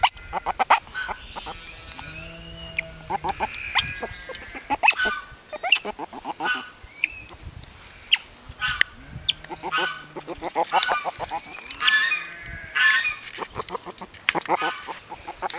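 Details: Happy noises from a baby river otter: repeated shrill honking squeaks and raspy chirps in uneven bursts, mixed with clicking, handling noise and a person speaking softly now and then.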